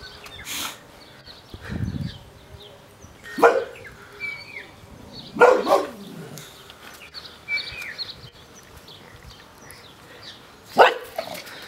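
A Boxer dog barks in sharp, irregular bursts separated by several seconds of quiet.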